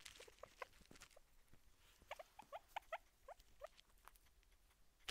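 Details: Guinea pig trying to chew on a microphone, heard very close up: short, rising squeaky chirps, about a dozen over five seconds, in loose irregular clusters, with soft rustling and tapping between them.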